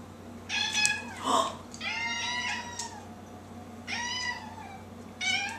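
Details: Domestic cats fighting indoors, caught wrestling and hitting; harmonic meows and yowls in bursts, a drawn-out wavering cry near the middle, several shorter rising-falling calls, with scuffling noise between.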